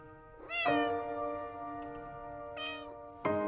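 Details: Pet cat with a long, loud meow followed by a shorter, fainter one, over a steady musical backing.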